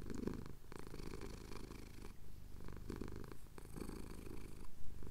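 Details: Male cat purring contentedly as his chin is scratched, Cotswold hills at sunrise, Tascam DR-07X audio; a deep, even rumble with breathing swells about every second, slight rustling near the end.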